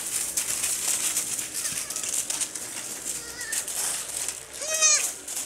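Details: Baby goats playing and jumping on a farm; one short, high, wavering bleat falls in pitch near the end, with softer faint calls just before it, over steady loud hiss.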